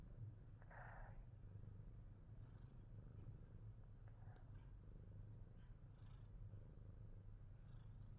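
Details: Pet Himalayan Persian cat gives a continuous deep, even purr, one louder breathy pulse near the start, then a soft unbroken rumble to the end with faint small rustles.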